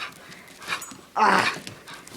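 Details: A dog playing indoors while being chased around by people, giving a short, rough growling burst about one second long amid scuffling and voices.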